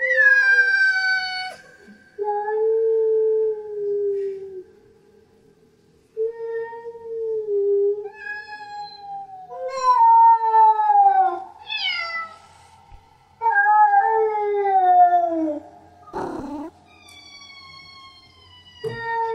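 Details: Female domestic cat in heat giving her mating call: long, drawn-out, wavering yowls, some falling and some rising then dropping, separated by short pauses, with a brief rustle near the end in a quiet room.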